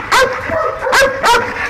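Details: Belgian Malinois guard dogs, trained to guard a large industrial area at night in Nauplion, Greece, giving three sharp, harmonic barks about half a second apart, each ringing with clear overtones.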